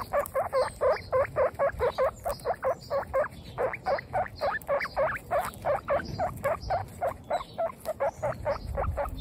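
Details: Baby guinea pigs from a group of 26 females on their first picnic outdoors, giving rapid repeated squeaky wheeks, about four per second, each note strong in the mid range with higher overtones, with light rustling underneath.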